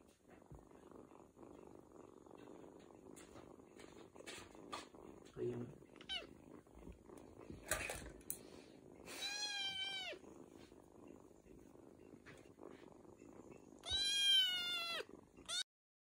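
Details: Domestic cat giving long meows: two drawn-out, wavering, harmonic-rich cries late on, the second louder, each bending down at the end, after soft murmuring, low rustles and a few shorter squeaky sounds.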